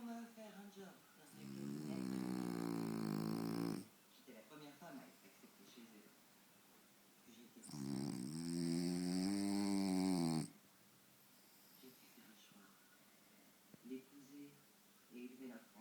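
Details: Deeply asleep French Bulldog Faro in front of the TV, two loud grating snores about six seconds apart separated by soft snuffling breaths, faint background sounds indoors.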